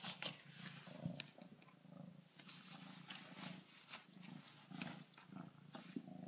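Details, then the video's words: Kittens purring at a glass door while meeting a backyard raccoon: steady low rumbling purr with regular pulses, overlaid by scattered clicks, taps and rustling noise. "kittens purring"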